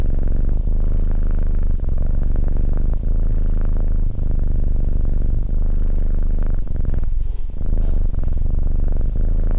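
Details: SimbAs, a calm Abyssinian cat keeping a person company, gives a continuous deep throbbing purr, rhythmic and unbroken apart from a brief dip near the end.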